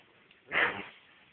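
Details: A single short, sharp bark from a dog, in a recording comparing a Bloodhound and a German Shepherd, rising out of a quiet room.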